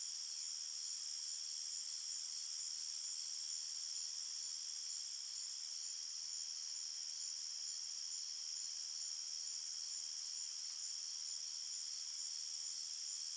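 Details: Night-time forest crickets in chorus, a continuous shimmering high buzz of stacked shrill tones that never pauses or changes level; nothing else is audible.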